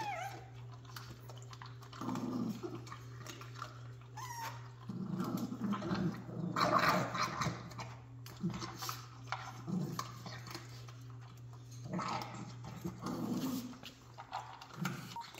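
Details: Jack Russell Terrier puppies, recorded 3/7/2024, give low rumbling growls in uneven bursts near the start, middle and end, mixed with scuffling noises over a steady low electrical hum.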